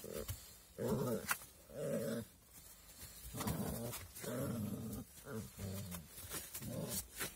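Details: Young puppies growl in rough, low bursts that come roughly once a second, each lasting about half a second, with short pauses and faint rustling between them.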